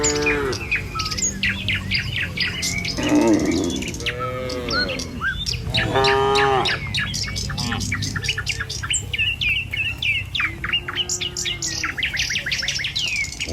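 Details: Village cattle moving in a herd along the road to the pen; scattered short moos sound between dense, sharp bird chirps and tweets, with a low rural hum underneath.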